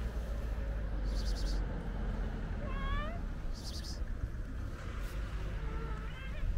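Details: White stray cat with a gray tail near a kitten on the street; two thin, wavering meows separated by a few seconds, with brief rustling bursts and a continuous low background hum.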